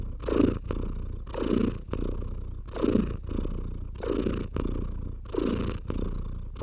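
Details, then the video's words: Pet house cat purring contentedly while stroked, a deep rumbling purr swelling and fading in a breathing rhythm of roughly one cycle per second, each inhale-exhale pulse clearly marked, with no other sounds. "Stroking & Purring"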